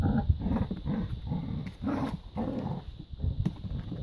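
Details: Labrador retriever puppies playing in a garden and teasing an older dog: short, low, rough growling bursts repeat about every half second, mixed with scuffling and rustling.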